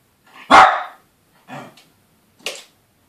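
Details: Two Yorkshire Terriers, male and female, the female always terrorising the male: one loud sharp bark followed by two quieter, shorter barks within two seconds, indoors.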